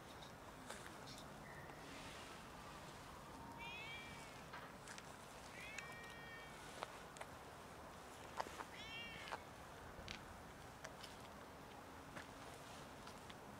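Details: Cats meowing loudly to beg for food before being fed; three clear, rising-then-falling meows spaced about two to three seconds apart, with clicks, taps and a low steady background hum.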